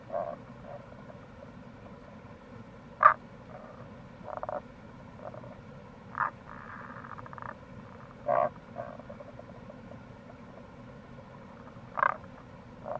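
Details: Tago's brown frog recorded in April by a gorge along the Kamo River in Itoshima, Fukuoka Prefecture, Japan. Brief, sharp croaks recur every few seconds, with softer pulsed calls between them, over constant low water noise.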